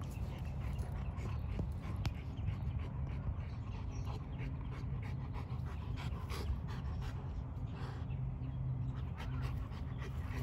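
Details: African Boerboels, a one-year-old adult and a six-month-old puppy, panting steadily over heavy low wind-like rumble and background noise.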